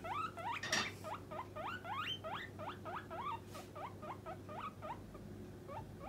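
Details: Pet guinea pig Puipui pleading for food near snack time: continuous rapid rising squeaks, about three or four per second, with one loud rustle early on and a constant low electrical hum.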